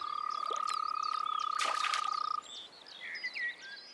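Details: Frogs in Anatolian wetlands, males calling to assert dominance over rivals and attract females: a fast, steady rattling trill for over two seconds, then stops, amid a chorus of other chirping and squeaking callers.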